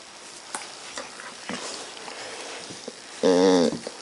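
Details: Puppy making funny, weird noises: after a stretch of faint crackling and scattered clicks, one short, loud, wavering whine rings out for about half a second near the end, then quiet crackle returns.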